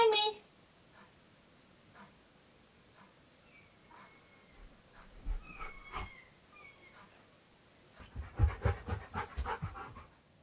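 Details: Keyush the stunt dog hunts for a hidden owner indoors during hide-and-seek; faint thin high notes drift through a quiet stretch before a burst of fast, heavy panting and snuffling closes the moment, with soft speech nearby.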